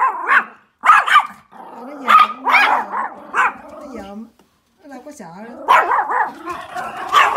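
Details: A Pomeranian barks while watching deer out the window, giving sharp, high-pitched barks in quick bursts with whiny, wavering tones between them.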